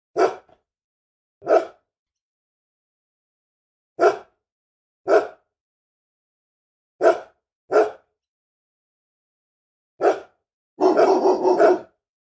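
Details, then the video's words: Angry dog giving single loud barks spaced one to two seconds apart, eight in all, ending in a longer rough burst of rapid rasping barks running together. "SOM DE CACHORRO BRAVO LATINDO - CHORANDO, ROSNANDO BARULHO DE CACHORRO"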